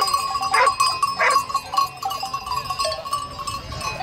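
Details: Two quick wavering sheep bleats close together near the start, followed by fainter calls, while a steady bell-like ringing tone runs throughout.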